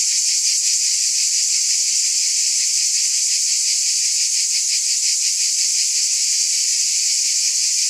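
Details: Cicadas in a continuous dense buzzing chorus, a steady high hiss with faint rapid pulsing about three times a second, unbroken and even in loudness throughout, no other sounds.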